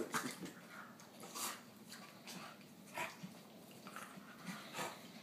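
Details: A Cairn terrier puppy tries to keep up with bigger dogs and tussles with an English bulldog. It gives brief, raspy growls in uneven bursts, some rising into sharp yips, amid scuffling and the bulldog's noises.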